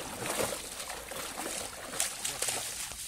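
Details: Sloshing and splashing water fills the scene as a black labrador plays in a river, nosing for a stick on the bottom, with faint speech and trickling in the background.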